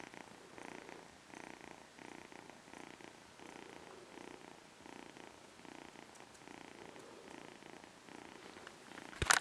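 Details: Kitten purring steadily, soft rumbling pulses rising and falling in a regular breathing rhythm for about nine seconds, ending in a sudden sharp burst of noise.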